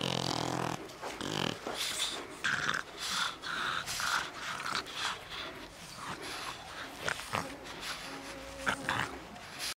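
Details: Chili, a pet dog, playing: snorting huffs and low rumbling growl-like bursts come in quick, uneven runs, mixed with scuffling noise and a little human speech.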